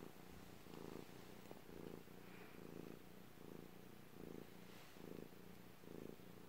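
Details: Cat purring steadily indoors, low vibrating rumble rising into brighter bursts roughly every three-quarters of a second in a regular in-and-out breathing rhythm, with no other sounds.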